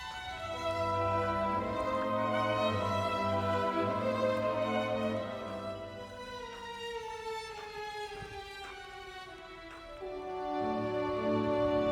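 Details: No animal sound is heard; sustained violin and orchestral strings play a slow, sad melody with gliding notes.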